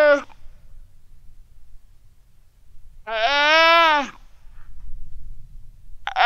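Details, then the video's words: On an Antarctic ice shelf at Terre Adélie, a Weddell seal pup calls for its mother on a calm sunny November 2009 afternoon; one sustained, rich harmonic wail lasting about a second, with clipped calls at either edge and faint low background rumble. "WEDDELL SEAL PUP CALL ITS MOM SOUND"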